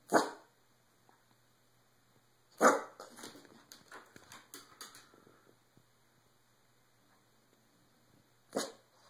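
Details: A Boston Terrier gives sharp, sneezy barks with bursts of quick yaps while a person eggs it on with "Get him! Tell him!"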